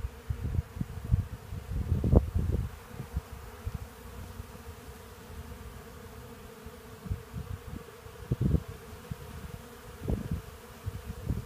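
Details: Hundreds of honey bees gathering sawdust from freshly milled Black Locust sawlogs at a portable sawmill buzz in a low, steady drone, with occasional louder passes close by.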